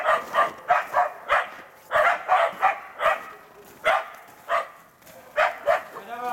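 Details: Karelo-Finnish Laikas, Rus-Fin aged two years and Kaya aged eight months, working a penned wild boar during training for trials; sharp barks come in quick bursts, about one or two per second, with uneven gaps.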